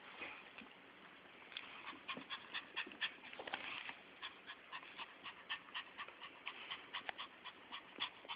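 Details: Excited Chihuahua-Miniature Pinscher mix named Fiyero, a house pet who knows someone is coming home, panting in fast rhythmic breathy bursts about twice a second, steady and airy, with a faint murmur of voices at the start.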